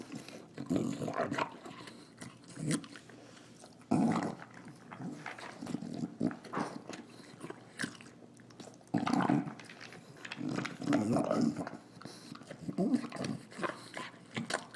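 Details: Female English Bulldog snorting and snarling while eating her dinner indoors. Rough, breathy snorts and throaty rumbles come in bursts, separated by quieter chewing pauses.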